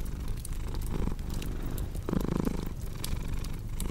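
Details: Purring cat, a deep continuous rumble rising and falling with each breath, mixed with sharp snaps of a crackling fire.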